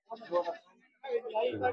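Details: Goat bleating at a goat and sheep market in Sinnar Vavi on 28 October 2025: two wavering, nasal bleats separated by a short pause, with people bargaining over prices nearby.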